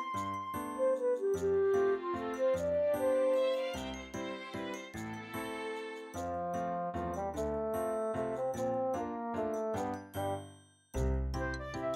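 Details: Tinkling bell-like melody with chimed notes and soft backing chords plays throughout, breaking off briefly near the end before a low burst of sound.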